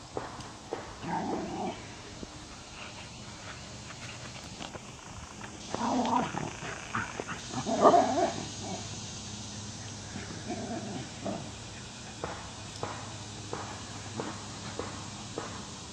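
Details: Female Wire Fox Terrier Paisley, once a shy puppy mill rescue, now playing in a foster home pack; scattered grumbling yaps and growl-like bursts, loudest near six and eight seconds, with quieter pauses and faint background hum.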